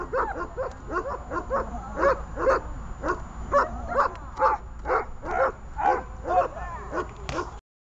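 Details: Runa, a dog being trained in holding and barking, barks rapidly and persistently in a dense run of rough barks, some quieter in between, before the recording cuts to silence.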